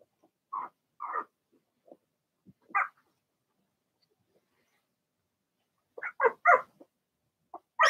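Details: Blenheim Cavalier King Charles Spaniel puppies from a litter of six, in an indoor puppy pen: a few separate high barks, a lull, then a tight cluster of three or four barks and a final loud one.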